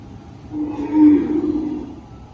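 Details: Cattle at a farm as more than fifty cows are delivered away; a single drawn-out low moo swells to a peak and fades over about a second and a half, with a faint steady hum behind.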